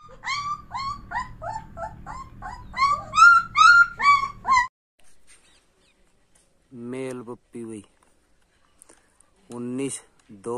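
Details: Bully Kutta puppy giving loud, clear whining yelps, short bent notes repeated about twice a second for several seconds, then quiet, followed by human voices talking.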